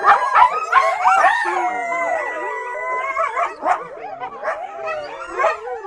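A chorus of coyotes rises in overlapping, quavering howls that bend up and down in pitch. Quick high yips and yelps break in throughout, giving the chorus its wild, tangled sound.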